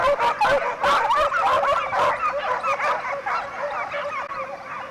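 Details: A pack of Segugio Italiano hounds, European champions in 2004, hunting hare, giving dense overlapping bays and yelps in a continuous chorus, with several voices calling at once and no single dog standing out.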